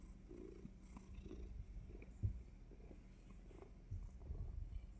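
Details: Domestic cat purring steadily just before a surprise bite, a low continuous rumble with soft pulsing texture and faint clicks, quiet and close.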